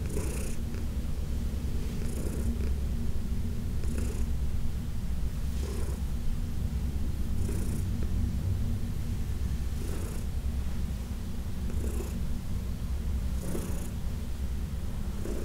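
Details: Senior adopted cat Heidi, around 14 years old, purrs continuously while being massaged indoors; deep even rumble throughout, with soft brushing or stroking noises roughly every two seconds.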